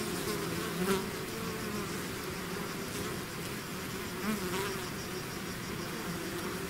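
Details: Swarming bees emerging from a hive make a thick constant hum, with two brief louder buzzes from bees flying close by, near the first and fourth seconds.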